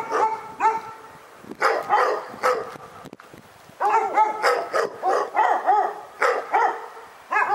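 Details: Pyrga dog giving loud, resonant barks, first spaced out, then after a quiet gap a rapid chain of rising-falling yaps.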